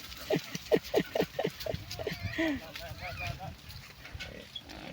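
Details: Wild boar piglets digging and rooting around, learning to find food alongside their mother; a quick run of short, low grunts about two to three per second, then softer scattered grunting and rustling, with human voices and laughter nearby.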